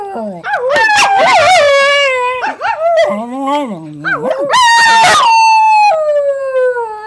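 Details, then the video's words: Domestic dog 'singing' indoors: wavering, sliding howls that dip into a low, moaning stretch, then rise again into a clear sustained note that slowly falls in pitch at the end. "Singing Dog"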